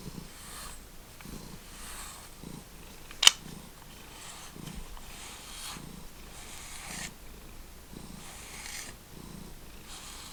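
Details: Cat from a feral cat family, heard indoors purring softly in a slow, even rhythm of breathy pulses about once a second, with one sharp click partway through.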